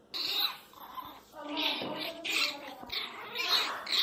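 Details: Miniature Pinscher named Teco, crying very loudly and angrily indoors; strained, high whining cries in drawn-out bursts with harmonic bands, rising and falling, pausing briefly between bursts.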